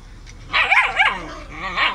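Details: Samoyed fighting with his brother, aggressive: two whiny, yodel-like vocal bursts with wavering pitch around half a second long, then a fainter drawn-out rising and falling whine near the end.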